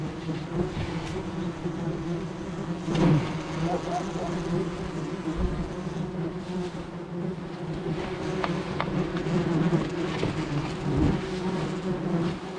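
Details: Mass of furious wasps, disturbed during removal of their nest from under a house's roof tiles, making a dense, steady low drone with sharp knocks and scraping from the work.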